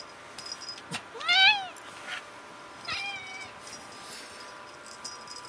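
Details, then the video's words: Tuxedo cat Becca meowing while playing: one loud drawn-out meow rising then falling, followed by a second softer, shorter meow, with faint clicks and rustling from toys in a quiet room. "Tuxedo cat Becca meowing away during play !"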